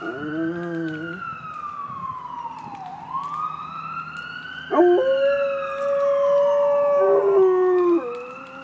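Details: Dog howling along with a wailing siren that slides slowly up and down. A short wavering howl opens the sequence, and a long, steady, held howl with a bright tone runs from about five to eight seconds over the siren.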